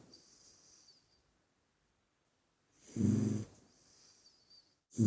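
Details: Puppy asleep, snoring with a strong pulsed low rumble on the in-breath, then a faint airy exhale trailing off, and another snore starting at the end.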